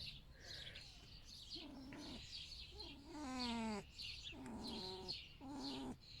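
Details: A male pet red fox rescued from a fur farm, greeted in the morning in bed with his plush duck, makes a series of high, harmonic whining cries that waver and fall in pitch.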